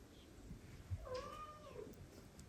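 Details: Indoors, an older female cat meets an adopted kitten. A single soft, drawn-out meow of about a second, steady then gently falling, over quiet room hum.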